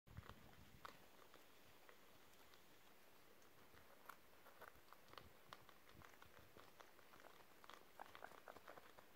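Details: Pet guinea pigs nibbling crispy beetroot pieces indoors, recorded December 30, 2023: a steady run of sharp, dry crunching clicks and snaps, irregular and close, over a quiet room background.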